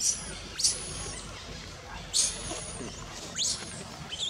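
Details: Thin, shrill cries from a wild infant monkey at Angkor Wat, Cambodia, upset that its mother will not nurse it; three high whistled wails come roughly every one and a half seconds, each sliding down at the end.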